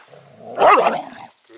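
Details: Border Collie meeting a three-month-old puppy for the first time while teaching it dog greeting manners: a single short, sharp bark, loud and abrupt, then quiet.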